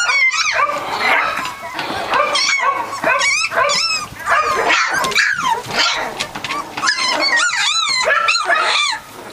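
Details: Litter of Catahoula Leopard Dog puppies, three weeks old, keep up a continuous chorus of high, rising-and-falling squeals, whines and yips from several pups at once, overlapping with little pause throughout.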